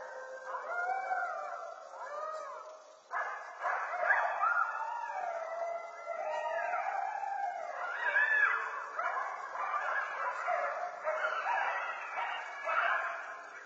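Several coyotes howl together, their wavering, sliding voices overlapping with sharp yips and barks.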